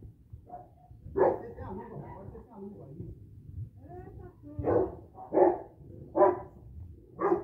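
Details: Boxer and Rottweiler cross, a first-generation bandog, barking during personal protection training: scattered deep barks, a loud one near the start then four in a row late, with a man speaking in between.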